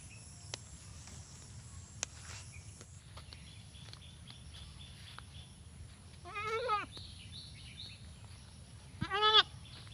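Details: Desi goat heard after a long quiet stretch of low rumbling background noise, giving two short, shaky, wavering bleats near the end, the second louder.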